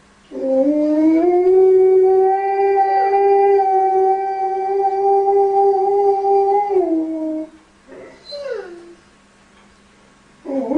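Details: Dog singing to calm a crying baby, holding one long, even howl for about six seconds that sags at the close; after a pause comes a short rising-and-falling yelp, and another howl begins at the end.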